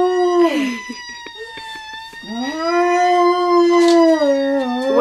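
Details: A pet dog named Eva answers a siren with howling. A falling note gives way to a long, steady, mournful wail that climbs slightly at the end. Faint voices sound in the background.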